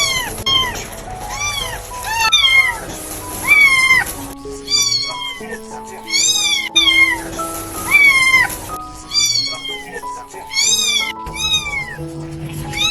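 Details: Stray kitten, very small, calling with a steady series of thin, rising-then-falling meows, some doubled, roughly every second or two, over gentle background music with sustained piano notes.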